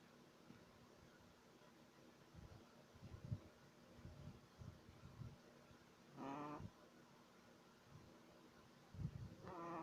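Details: Sleeping Shih Tzu puppy, three months old, snoring: soft low breaths and snuffles, then two louder whistling, nasal snores about three seconds apart near the end.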